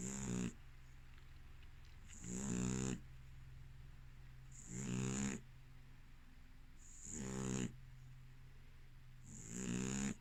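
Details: Sleeping American Staffordshire terrier, a female, snores five times at a steady pace, roughly every two and a half seconds. Each snore is a harsh, fluttering rasp with a breathy hiss, over a constant low indoor hum.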